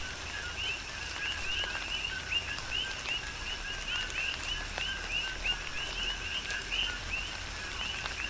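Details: Chorus of coqui frogs on Hawaii's Big Island in a tropical rain shower; dense, rhythmic two-part chirps, each a short low tone followed by an upswept higher whistle, overlapping continuously amid pattering raindrops.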